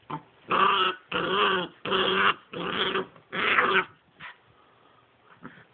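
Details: Brother and sister pitbull puppies, 10 weeks old, playing and fighting: five loud, harsh growling snarls in close succession, then quieter scuffles and a faint whine.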